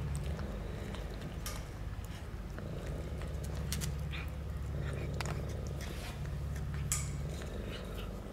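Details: Rescued female stray cat in Istanbul, one of three that fell sick and were taken to the vet, thanking and hugging her rescuer; steady low rumbling purr throughout, with scattered light clicks and knocks.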